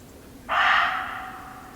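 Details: One abrupt, coarse bark from a muntjac deer in an English nature garden, loud at onset then tapering away, with only a low steady hum behind it.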